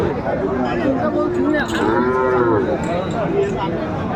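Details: Sahiwal cattle at a crowded livestock market in Kurigram, Bangladesh, on 14 December 2024, where bull calves are sold; one drawn-out, arching moo rises and falls mid-clip over steady crowd chatter and voices.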